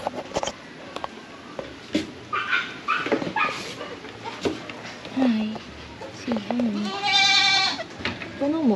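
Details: Pet goats and their kids on a farm, with a person talking throughout; a loud, quavering, high bleat stands out near the end, among several lower, shorter calls.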